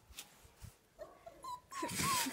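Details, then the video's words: Young Siberian husky puppies whining: thin, high tonal whimpers that rise and dip, several short drawn-out whines late in the clip, growing louder toward the end, with faint background rustling. "Маленькие хасята, хаски."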